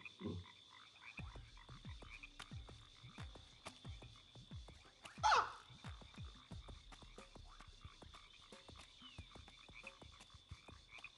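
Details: Frog in Sydney at Christmas giving steady short clicking croaks, repeated rapidly throughout over a constant high insect-like whine, with one brief louder sound in the middle.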